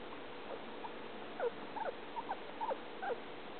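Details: Male guinea pig eating and giving strange noises, heard repeatedly day and night: a quick irregular series of short, thin squeaks and chirps, a couple each second, against low steady background hiss.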